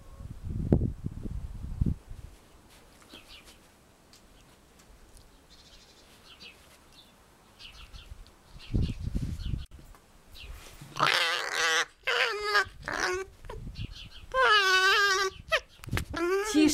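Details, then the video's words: Alf, a pet cherry red fox rescued from a fur farm, screams over his stuffed squirrel toy as prey; quiet rustling and thumps first, then loud, harsh, wavering scream bursts with rising and falling pitch, repeated in several stretches near the end. "Cherry red fox screaming"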